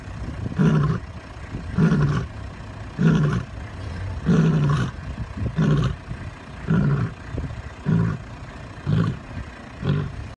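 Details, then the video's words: Lions roaring: a deep series of about nine grunting roars, spaced roughly one to one and a half seconds apart, each low and rumbling and slowly fading toward the end. "lions roaring"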